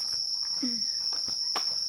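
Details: Insects singing on a calm, quiet evening in the seaside town of Ine, Japan: a steady, unbroken high-pitched trill holds throughout, with faint soft knocks and a brief low murmur beneath.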